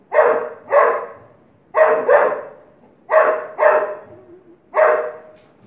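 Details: Playful Golden Retriever in India barking steadily in deep, husky pairs, about seven barks in under six seconds, each pair quickly following the last, with no other clear sounds.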